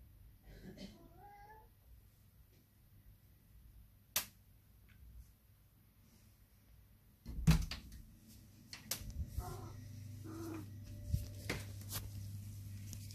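A Sphynx cat gives a single short, rising-then-falling meow as a greeting, followed by clicks and a low rumble.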